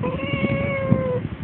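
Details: One-year-old female pet cat giving a long, steady, tonal meow of about one second that tapers off at the end, over soft low background rumble and handling noise.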